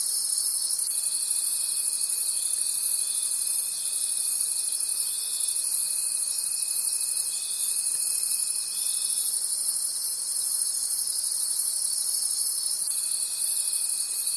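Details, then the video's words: High, buzzing trills of night-time forest crickets pulse evenly, about three beats a second, above a steady thin tone that breaks off midway and starts again near the end. "Forest Sounds and Cricket Conversations at Night"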